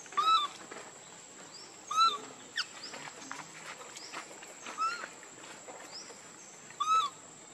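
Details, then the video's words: Hungry baby monkey crying and begging its mother for milk: short, high, thin squeals that rise slightly in pitch and recur irregularly every two to three seconds, with faint rustling and a steady high electronic whine behind. "Very Pitiful Need Milk Crying"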